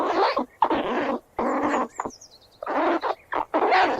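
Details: Squirrel squealing as it runs about, long grating squeals of around half a second each, separated by short pauses, with a faint thin falling whistle heard between bursts midway through.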